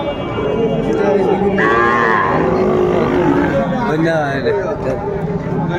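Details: Sahiwal bull calves at a cattle market in Chattogram, Bangladesh, on 11 January 2025: a drawn-out harmonic moo with wavering pitch, then a second shorter call, over men's voices bargaining nearby.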